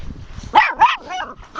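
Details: Dogs out walking in a snowstorm on March 19, 2013, in a field in Ironwood Township, Michigan, with over a foot of snow. The pack is small chihuahua and Pomeranian/papillon mixes plus 13-week-old Alaskan husky pups. Two quick high yipping barks sound between spoken calls.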